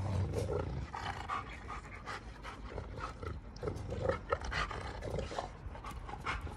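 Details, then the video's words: Giant Schnauzers Garvey and Luther fighting each other, giving rough, roaring growls in short bursts amid loud breathing and scuffling, with sharper snarling peaks partway through. "GIANT SCHNAUZERS HAVE A HUGE ARGUMENT!"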